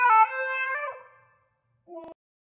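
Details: Husky giving a rich, harmonic howl-like cry that lasts about one second and sags slightly in pitch as it fades, then after a pause a short, quieter yelp.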